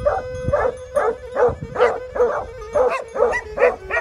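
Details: Plott Hound and Serbian Tricolor Hound in Greece, recorded 20 March 2020. A hound barks loudly in a fast, fairly regular series of about two to three barks per second, each a short voiced yelp. A steady low tone runs underneath.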